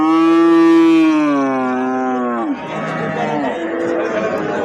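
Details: Cattle, heifers and cows, at a crowded Eid-ul-Adha (Qurbani) livestock market in Taherpur, Rajshahi, Bangladesh: one long, loud, deep moo lasting about two and a half seconds, sliding slightly downward, then fading into murmuring crowd chatter.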